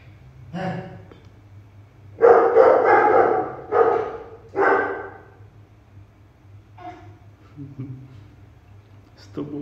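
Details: Poodle giving a few loud, rough barks bunched around the middle, each a short harsh burst, with a man's voice calling and softer noises before and after.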